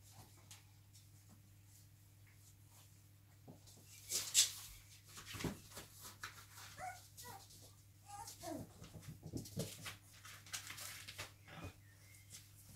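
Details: Five-week-old Cavalier King Charles Spaniel puppies give soft, high whimpers and squeaks in a kennel, with a steady indoor hum.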